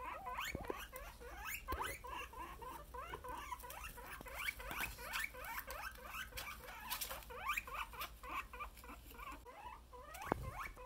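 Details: Happy little guinea pigs chatter in a dense stream of upswept squeaky notes. Sharp clicks and soft bumps are scattered through, and the calling swells and fades over several seconds.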